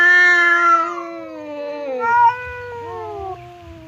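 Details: Domestic cats Temon, a fierce one, and Lelo, a quiet one, face off indoors across a partition as if about to fight; long harmonic yowls slide downward, then a second rising-and-falling wail follows.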